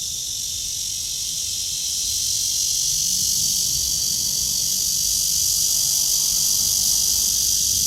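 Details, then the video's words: Cicadas calling from a tree on a morning walk, 23 August 2020, 9:27, blue sky: an unbroken hissing, high shrill whine that slowly grows louder, over a soft low background rumble. "나무에 매미"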